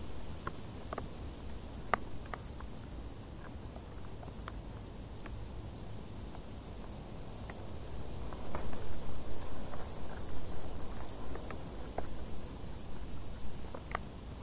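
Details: Crickets in tall grass on a hot summer day trill in rapid, regular high pulses; scattered clicks and a stretch of louder low rustling noise partway through.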